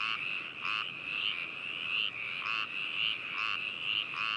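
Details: Frog chorus from Hakushu in Hokuto, Yamanashi Prefecture, Japan, 4 May 2018, binaural stereo recording: a continuous shrill trill with bursts of rasping croaks roughly every half second to second.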